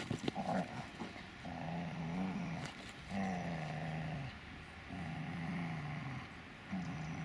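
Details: Dobermann Magmar Von Der Burgstätte giving long, low, steady growls in several drawn-out bouts, each lasting about a second or more.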